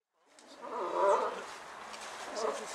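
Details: A sea lion at Diergaarde Blijdorp zoo on 2 February 2018 gives a hoarse, roaring bellow that swells and then trails off.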